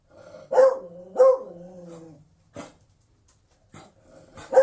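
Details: Two long, drawn-out baying barks from a Beagle, each starting sharp and trailing off in a steady mid-pitched tone, followed by a few clicks and a final sudden loud bark.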